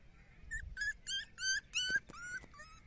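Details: Puppies at play making a short run of about six high, slightly wavering whimpers, each a fraction of a second long, with a faint click between.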